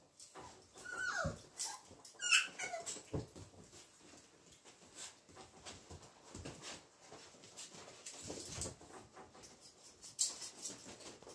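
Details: Hungarian Vizsla puppies, recorded on 7 March 2021: a few short, squeaky whimpers with bending high tones early on, then soft, scattered scratching and shuffling noises with only faint vocal sounds.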